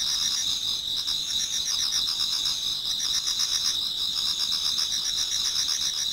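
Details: A Japanese garden in autumn before dawn filled with singing insects: sustained high shrilling in stacked bands, plus faint rhythmic ticking pulses beneath, steady and even in loudness.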